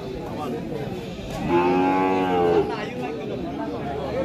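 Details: Cattle at a Qurbani cattle market in 2024: one drawn-out, low, harmonic moo lasting about a second, set against a steady background murmur of the crowded market.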